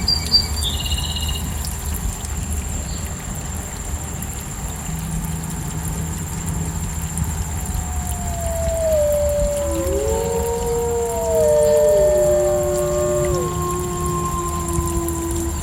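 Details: Gray wolf (Canis lupus), howl.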